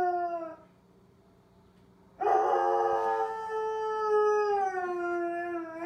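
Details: During the monthly civil alert siren test, Korben the dog howls along: a held note fades out, a quiet gap of over a second follows, then a strong new howl bursts in and is sustained to the end, drifting gently downward.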